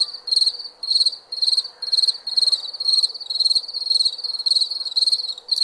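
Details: Chirping crickets in the night, sharp high trills in rhythmic bursts about every half second to second, continuous underlying buzz and faint low hum.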